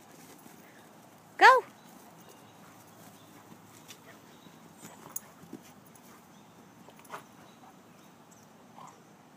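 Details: Golden Retrievers at play give one short, sharp whining yelp, its pitch rising then dropping with bright overtones, lasting about half a second early on. Only faint knocks and light rustling follow in an otherwise quiet setting.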